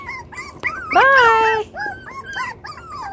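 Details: Chocolate brown Toy Poodle puppies, seven weeks old, playing in a newly doubled pen: short high whimpering yelps, then one long drawn-out whine that rises and slowly falls, followed by several brief bent whines and faint scuffling.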